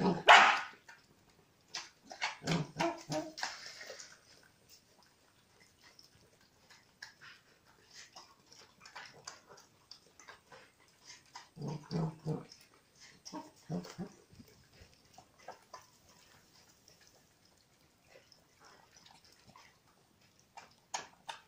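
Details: Welsh Corgi puppy, a small corgi eating, gives bursts of sharp barks and yips in clusters separated by quieter stretches with faint rustling and chewing noises indoors.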